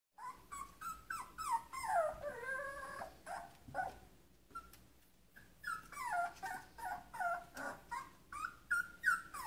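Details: Shetland Sheepdog puppy crying because it wants to go outside; high whines sliding downward, some wavering, repeated in quick bursts with a short pause near the middle.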